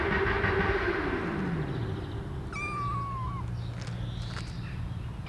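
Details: Kittens outdoors, eating cat food pate for the first time. One thin meow falls slightly in pitch and trails off, amid a low droning hum and faint background noise.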